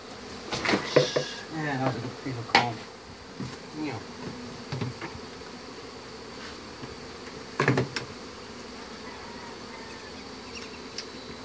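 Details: Honey bees buzz during a hive removal. A man's voice and loud handling noises open the recording, then a steady swarm hum continues under occasional clunks.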